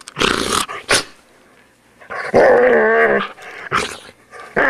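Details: Poodle being groomed: a rough burst, then a drawn-out wavering growl-whine in the middle, followed by more short harsh snarls.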